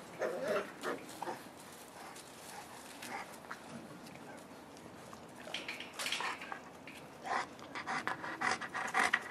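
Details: Boerboel puppies at five weeks old with their mother Cleo: irregular bursts of soft panting and short squeaky yelps scattered through the recording, louder clusters near the middle and end, over a low steady background.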